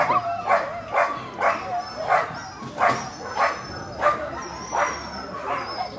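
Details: Labrador puppies, a 30-day-old litter offered at a rural dog market. Bright, high yips repeat steadily about every half second, with a faint steady whine and murmuring behind them.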